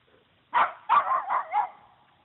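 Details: Female puggle barking while confronting a deer that does not run away; four quick, rough barks in a tight burst lasting about a second, then silence.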